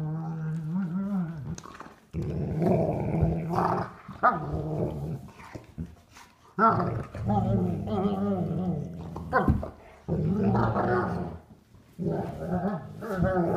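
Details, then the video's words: Adult sable German Shepherd, three years old, playing indoors with a nine-week-old sable German Shepherd puppy for the first time without a toy; long rumbling growls with whiny, wavering overtones in bursts separated by brief pauses. "German Shepherd plays with puppy"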